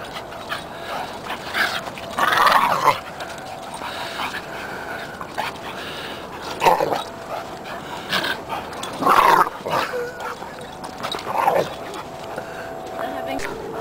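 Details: Two dogs, a seven-month-old Löwchen and a two-year-old black Staffordshire Bull Terrier, playfighting; short rough barks and growly yelps burst out every two to three seconds over a steady low background hum.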